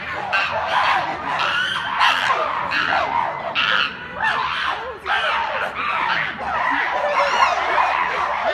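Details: Chimpanzees going wild at Chester Zoo: a dense, chaotic chorus of loud overlapping screams and shrieks in bursts about every second, with several animals calling together and barely a pause throughout.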